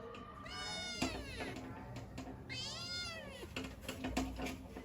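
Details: Kittens meowing for their mother: two long, wavering, high meows, each rising and then falling, with a short gap between them and faint background knocks.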